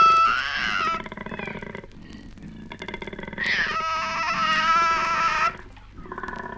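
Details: Koala; courting calls; courtship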